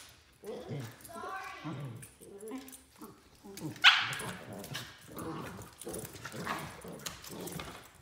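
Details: A 3-month-old Pembroke Welsh Corgi puppy gives whiny growls and a sharp yip-bark while play fighting with another Pembroke Welsh Corgi, with people talking.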